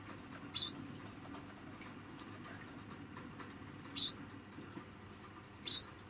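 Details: A pet degu (Octodon degus), moved into a small room while its cage is cleaned, gives short, sharp, high-pitched protesting squeaks at irregular intervals over a quiet background.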